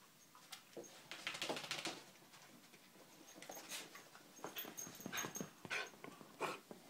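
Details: Terriers named Poppy, Jazz and Max: short, bright whimpering and yelping bursts come in uneven clusters, with scuffling and rustling between them.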